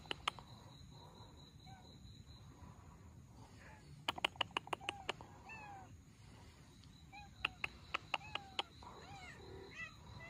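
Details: Rescue of an abandoned Russian Blue mother and her kittens: several short, high, arching meows scattered through the recording, some overlapping, amid bursts of sharp clicking taps.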